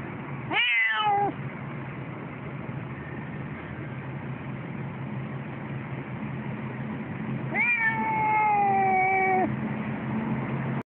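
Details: A Siamese cat persistently complains on the way to the vet while waiting for a tram, giving two long, loud meows, each harmonic-rich and slowly falling, over a low vehicle rumble.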